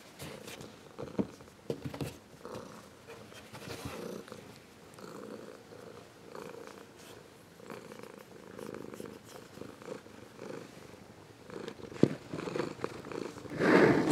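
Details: Warm, long purring from a grown Ragdoll cat: a steady, pulsing rumble cycling with its breathing for over ten seconds. There is a sharp tick near the end, then a louder rustling burst.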